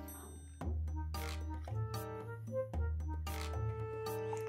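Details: Electronic music plays with low bass notes, bell-like tones and sharp percussive hits, with no animal voice heard.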